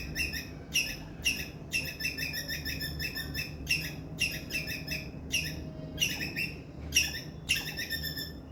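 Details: Loud distress chirps of a squirrel, a call that attracts adult squirrels: clusters of raspy high notes in chattering runs, broken by single sharp chirps and short silences, with faint low hum.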